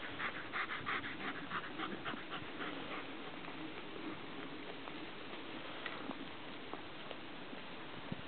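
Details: German Shepherd named Juno tending sheep on a graze, recorded 1-11-11: quick breathy panting, about three breaths a second, clear for the first few seconds before fading into steady outdoor rumble and hiss.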